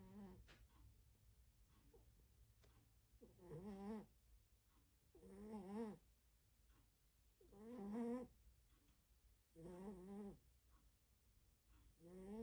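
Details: Loud snoring from a sleeping domestic cat indoors: rough, buzzy, harmonic snores repeating about every two seconds, five breaths in a row with quiet gaps and faint clicks between them.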